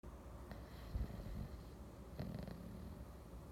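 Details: An English Bulldog asleep on a Sunday afternoon snores with deep, rasping rumbles that swell and fade with each breath.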